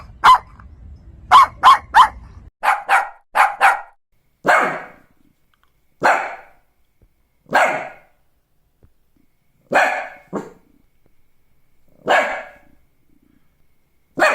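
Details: Rapid clustered yaps from a Shih Tzu dog open over low rumbling noise, then slower single barks follow at intervals of one to two seconds, bright and short.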